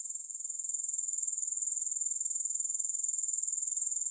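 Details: Grasshoppers with no music: a bright, high-pitched buzzing trill made of fast, regular pulses, steady and uninterrupted throughout.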